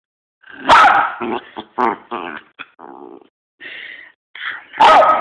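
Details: Miniature Poodle getting frustrated while trying to eat a treat: a loud burst of harsh yelps and barks, then a run of short grumbling, whiny vocal bursts and a final sharp bark.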